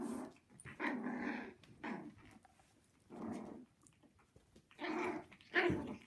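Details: Six-week-old Havanese puppies playing indoors, giving a series of short rough growls and yappy bursts about every second, loud and harmonic-rich, in a small room.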